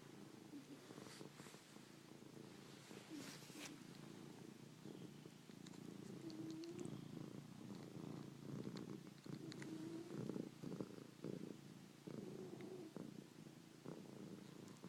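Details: Domestic cats purring and snoring: a steady low rumbling throb runs throughout, swelling slightly in the second half, with faint soft clicks and rustles scattered above it.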